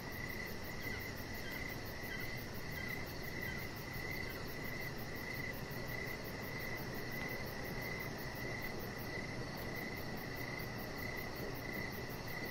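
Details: Outdoor evening cricket chorus by a deck with a chihuahua puppy lying out under decoration lights; a near-continuous high trill with faint pulsing, blended into steady low ambient noise.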